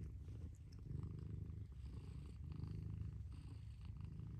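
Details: Mother cat giving a steady low purr, rhythmic rumbling pulses alternating with breaths, a faint tick early on.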